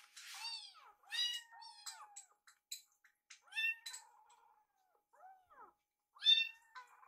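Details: Two rescued kittens stare at a microwave, waiting for their meal. They make a busy run of overlapping high meows, short and arching, with a couple of softer mews in between.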